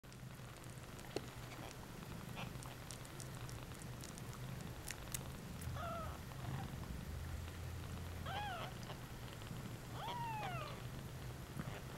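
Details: Two-week-old brown spotted Bengal kittens from a litter of nine in San Diego, California, give three or four thin, arching mews around the middle and end, each rising then falling, over a steady low hum with scattered soft clicks.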